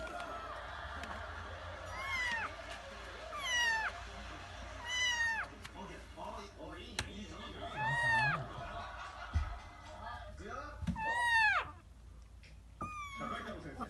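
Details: Kitten named Himawari meowing while using the litter box indoors: five or six clear rising-falling harmonic meows spaced a few seconds apart, with an owner talking softly over them in a small room.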